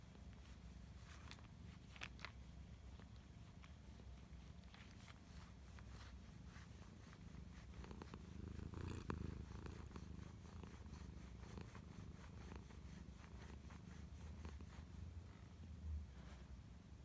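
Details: Sacchan, a pet cat, purrs with pleasure during a massage with a rolling cat massager indoors: an unbroken deep rumbling purr that swells briefly midway, with occasional light clicks from handling.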